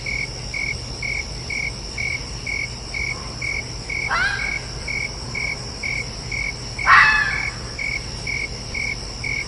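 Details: Fox giving two short, harsh, raspy screeching calls about three seconds apart, the second louder, set against a steady background of evenly pulsing cricket chirps that runs through the whole recording.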